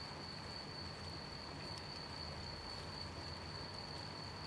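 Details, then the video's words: Brief stretch of crickets singing at night in gentle rain, a single sustained shrill tone running steadily beneath dense rain hiss and scattered drops. "Gentle night rain with sound of rain and cricket chirping"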